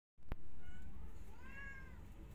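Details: Angry white cat objecting as a tiny kitten tries to come inside her hut; a single drawn-out harmonic meow, rising then slowly falling, over a low constant rumble after a sharp click at the start.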